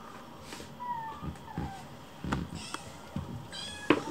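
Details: Hungry rescued kittens gathering around their keeper to hurry a meal; thin, descending meows early, then a sharper series of high rising cries at the end, with soft knocks and footsteps indoors.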